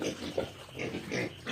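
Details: Soft, low grunts and snuffles from two-week-old native piglets eating at feeding time, several short muffled bursts in quick succession, fairly quiet.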